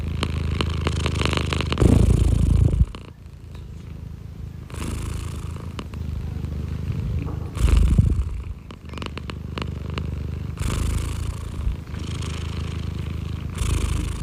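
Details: Domestic cat purring up close: a steady low rumbling purr runs throughout, swelling and fading in loudness, with brief rustles of fur and handling noise.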